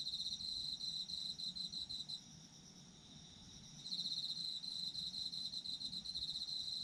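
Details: Chirping autumn insects: a bright pulsed trill stops for about two seconds, then resumes, while a fainter steady high buzz of more insects continues throughout.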